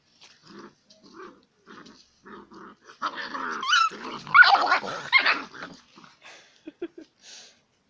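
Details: Romanian Mioritic Shepherd Dog playing with a stray dog: soft rhythmic huffs, then a burst of snarling growls and sharp yelps, fading back into panting huffs.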